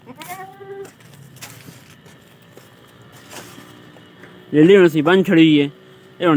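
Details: Goat that has just given birth to two kids on a Punjab farm: a short faint bleat at the start, quiet background, then three loud wavering bleats near the end with one more at the close.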